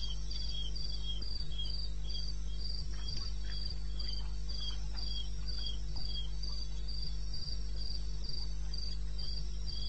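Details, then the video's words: Wild crickets calling at night in the wilderness of eastern Botswana, recorded 21 May 2016 at 2:30 AM: rapid regular high-pitched pulses repeating about four times a second, with a second fainter chirping line below and a steady low hum underneath. "1 Hour cricket sound-Africa-No loop-Real recording"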